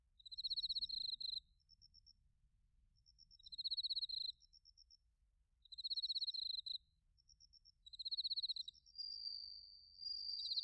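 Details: Bell crickets and other crickets in autumn at Narita, Chiba Prefecture, Japan, captured with a TASCAM Portacapture X8: high, rapidly pulsed chirps lasting about a second, repeating roughly every two and a half seconds, ending in a steady ringing tone.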